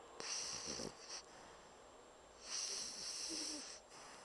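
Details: A Pocket Bulldog named Bumble, fast asleep and snoring like a large dog, gives two wheezy, hissing snores with a faint rattling undertone, about two seconds apart.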